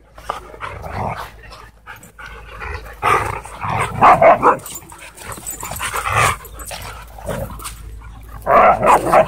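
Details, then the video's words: Play fight between two Siberian Huskies at a dog park, with repeated bursts of throaty growling and barking roughly every couple of seconds, interspersed with quieter scuffling. "Two Huskies In Intense Dog Park Battle"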